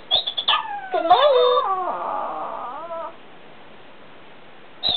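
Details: Pablo the Chihuahua reacts to an alarm clock with a wavering, whining howl that slides up and down for about two seconds, following a few short electronic alarm beeps.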